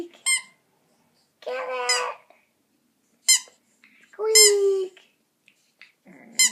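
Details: Poco, a pet Chihuahua, recorded in August 2014 howling in response to a squeaky toy: two drawn-out, wavering howls of under a second each, separated by short, sharp, high squeaks from the toy.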